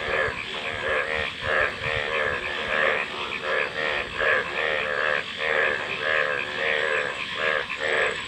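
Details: Many frogs croak together in throaty, pulsed bursts that come in uneven waves about every second, layered over a constant background drone.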